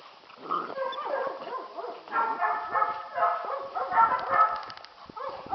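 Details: Playful Catahoula pups, nine and seven weeks old, on a farm. Muffled, harmonic whines and yelps overlap in a continuous jumble, swelling and fading, with a few brief clicks near the end.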